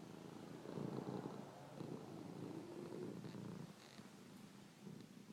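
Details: Cats purring and snoring: a dense, rapidly pulsing low rumble fills the first three and a half seconds, then fades to a quieter throb.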